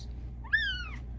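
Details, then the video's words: Female Bengal cat talking to her owner at night, wanting attention and pets: a single drawn-out meow that rises sharply, then glides slowly downward over about half a second, indoors. "Cat with the meow that can't be ignored!"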